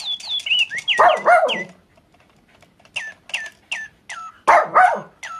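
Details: Pet Papillon dog barking along with a chirping toy bird, as if singing with it: two bursts of harsh, layered barks between runs of high, electronic-sounding chirps falling in pitch.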